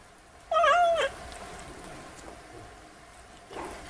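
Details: Domestic cat, its 'meo meo' used to scare off mice, gives one short, slightly wavering meow lasting about half a second, followed by quiet background hiss and a faint sound near the end.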